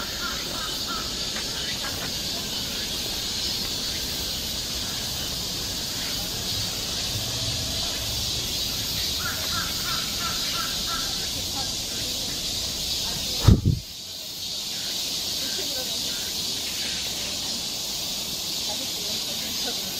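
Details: Cicadas droning in a summer forest in Seoul, Korea, a constant high hiss behind a few distant crow-like caws, with a sharp thump and brief dip in the chorus partway through.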